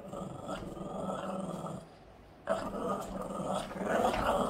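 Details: Yoda, a Boston Terrier, growling during play indoors; a steady rumbling growl with a buzzy, harmonic-rich tone, breaking off briefly near two seconds, then resuming louder and continuing to the end.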